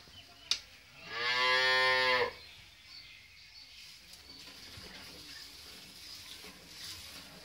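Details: Friesian dairy cow, a farm animal offered for sale with her heifer calf after her second calving, gives a single loud, harmonic-rich moo lasting about a second. Quiet indoor background follows, with a faint click beforehand and light water-like hiss.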